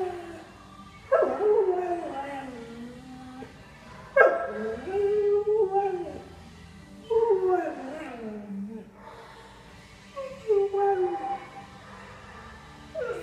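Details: A pet greyhound singing: four drawn-out, wavering howls spaced about three seconds apart, each starting high and sliding down into a mournful falling tone, over a quiet indoor hum.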